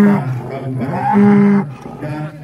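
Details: Cattle at an Indonesian cattle contest, unloading from a truck: a low, steady moo with flat harmonic bands lasting about half a second, followed by a fainter tone, while a man's voice talks over a public address in the background.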